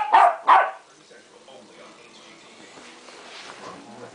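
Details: Playful West Highland White Terrier puppy, 3.5 months old, tussling with a piece of tape gives two quick bright barks in succession, then falls quiet while soft household background noise continues.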